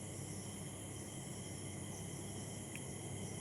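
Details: Crickets calling on a rainy-season evening in Chakdah, just after rain: several steady, unbroken high trills at different pitches hold throughout, over a low rumbling background.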